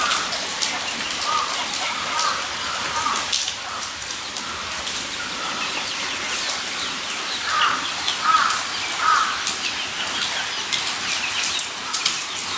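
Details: Guinea pigs at Nogeyama Zoo on 23 September 2012 produce repeated squealing whistles, softer at first, then three louder rising squeaks in quick succession, over a steady rushing hiss like running water.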